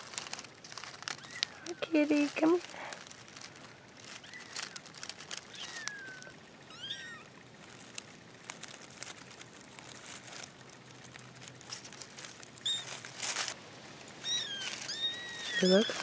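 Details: A newly found litter of four kittens gives thin, high mews. Each one slides up and then falls. They come in scattered bursts around the second, seventh, thirteenth and sixteenth seconds, over rustling and handling noise.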